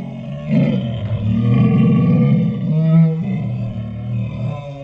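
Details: Ours, a pet Saint Bernard, 'talking' in dinosaur-like sounds: a deep, rumbling, drawn-out groan that wavers in pitch and swells and fades over several seconds.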